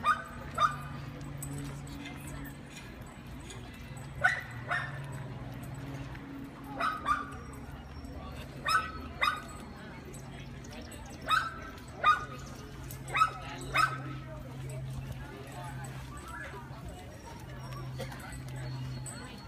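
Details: Dog-aggressive Great Dane in training in Northern Virginia, giving sharp, loud barks, singly and in quick pairs, about a dozen spread over the stretch, with a steady low hum underneath.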